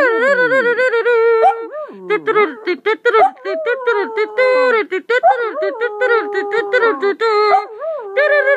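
A long-haired dachshund howls in sustained, wavering tones broken by short yips and rising glides.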